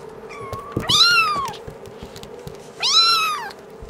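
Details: Kittens aged five weeks give two loud, clear meows about two seconds apart, each rising then sliding down, with soft clicks and rustles between them.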